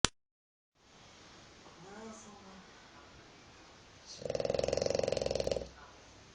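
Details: A dog snores like a pig: after quiet room noise, a loud, buzzy, rapidly pulsing snort lasts about a second and a half, with faint voice-like tones earlier.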